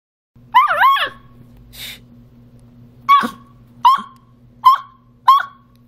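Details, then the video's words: A 1.5-month-old male Beagle puppy gives its first howls after discovering it can howl: a wavering early howl, then a string of short, rising yelping howls. "Beagle Puppy Firsts Howls"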